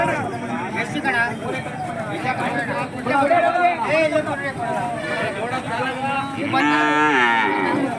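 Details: Hallikar cattle at a temple market in India, lowing amid a busy crowd; several harmonic moos overlap with people talking and bargaining over prices, with a long, steady moo near the end.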